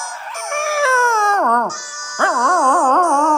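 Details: A 2½-year-old male Miniature Schnauzer howls along to a violin piece, "Pachelbel's Chicken": a high, wavering whine that slides down, breaks off, then returns in a wobbling, sustained tone.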